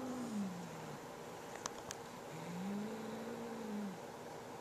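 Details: Growling over a fresh feather toy, the house cat Boo warns his little sister Molly with two drawn-out, low, wavering moans, the second longer and arching, with a couple of faint clicks between them.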